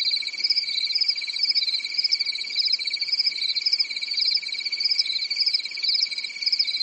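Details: Many crickets chirping together on a calm European summer night in the woods; fast, even pulses form a constant high-pitched trill topped by a wavering shriller band, with steady overall volume.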